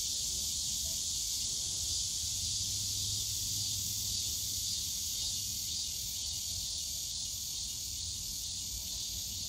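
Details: Cicadas calling on a summer day in the bamboo grove of Yongsan Family Park, a steady dense high-pitched droning buzz that never breaks, with faint low park hum beneath.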